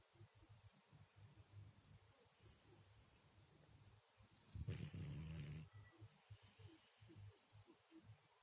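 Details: Murzik, a sleeping domestic cat, snores softly; a steady low rumbling flutter swells into one louder, droning snore of about a second before sinking back to quiet breathing.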